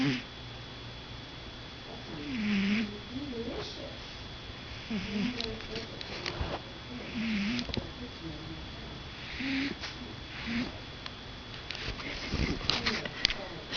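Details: Sleeping pet cat snoring in rhythmic wheezy breaths with a faint whistle, about one breath every two to two and a half seconds, over a steady electrical hum, with a quiet spoken remark near the end.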